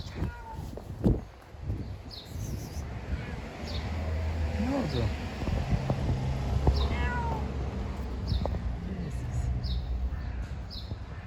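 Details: Female domestic cat in heat meowing to attract a male: a few drawn-out, wavering meows with a rising then falling pitch, spaced a couple of seconds apart, over steady low rumbling background noise and faint human voices.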